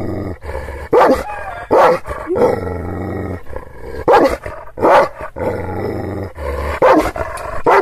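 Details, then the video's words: Kangal shepherd dog from Aksaray in Anatolia, barking angrily at strangers it has not seen before: loud, harsh barks in irregular bursts, some doubled, with a growling rumble and low engine-like hum between them. "Kangal çoban köpeği Aksaray malaklisi Anadolu aslanı vahşi hırçın kızgın köpek havlaması urmesi sesi"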